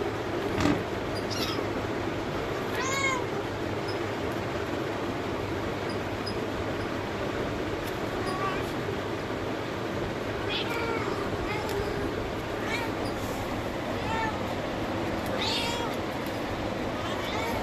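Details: Kittens playing with their mother cat; thin, high-pitched meows break through at intervals, around three, eight, ten and fifteen seconds, over a constant loud hiss.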